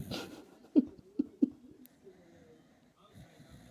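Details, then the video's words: Frank the dog snoring really loudly indoors: three short, low, snorting breaths within the first second and a half, then quiet breathing and faint room hum. "Frank the dog snoring. Really loud!"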